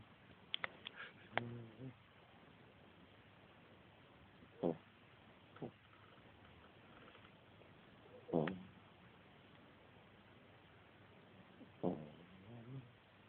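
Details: Snores from a pet dog asleep at naptime in a small room: a few quick clicks and a brief harmonic sound at first, then rasping snorts repeating about every three to four seconds.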